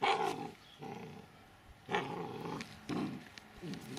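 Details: Dobermann named Mayhem Der Biss Von Einherjer, shown as puppy and adult, giving rough low growling bursts, about four separate rumbling pulses over a few seconds.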